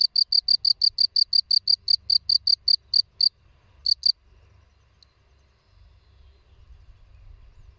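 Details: Chirping of a field cricket, Gryllus campestris: a quick run of bright high chirps about three per second, then a pause and a final pair, followed by quiet low background rumble.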